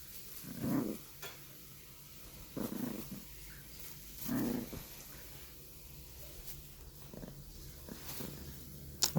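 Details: Bichon Frise puppy growling indoors as its toy is taken away, low rumbling bursts recurring about every two seconds, with faint clicks and handling noises between them.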